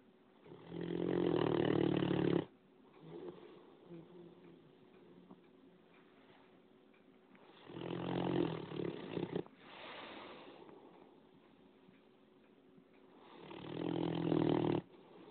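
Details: A 9-month-old Great Dane puppy snores in long, rumbling breaths, loud inhales separated by quieter wheezy exhales, keeping everyone awake.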